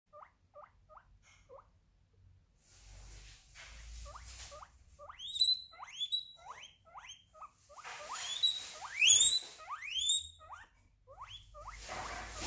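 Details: Guinea pig noises: short rising squeaks near one kilohertz repeated at first, then louder sweeping whistle-like squeals with upward bends, several overlapping in quick succession, indoors.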